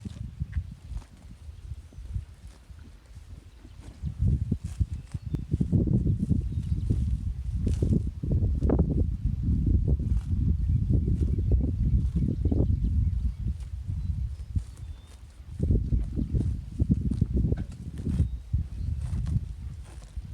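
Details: Dairy cows munching green grass, a steady, low crunching and tearing repeated several times a second.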